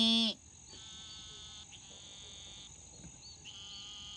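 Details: Several Eastern narrow-mouthed toads, tiny fat-bodied toads of the southeastern US, call in turn, each a high, nasal, sheep-like bleating buzz held about a second, over a steady thin insect whine.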